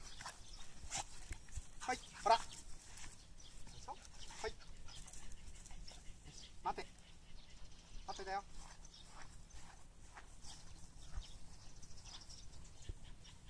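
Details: Six-month-old Labrador Retriever puppy, full of energy, during a training session; a couple of short high whimpers rise above a person talking, with scattered clicks and handling noises throughout.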